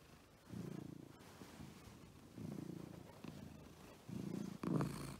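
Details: House cats Agu, a female American Shorthair, and Chappy, a male Scottish Fold with folded ears; soft rumbling purr swells in three bursts with faint pauses between, ending with a brief louder rustle.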